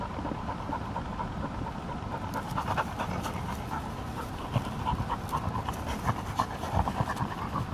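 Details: Quick, regular, breathy panting from a field-type Labrador Retriever playing with a ball. The huffs grow a little brisker and more pronounced in the second half, with occasional soft thumps.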